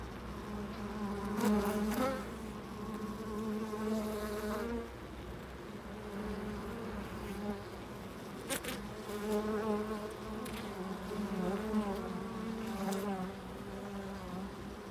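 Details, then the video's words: Buzzing bees circle a loading dock, a continuous layered drone that swells and dips over fifteen seconds while occasional sharp bangs and knocks cut through. "Bees at the loading dock"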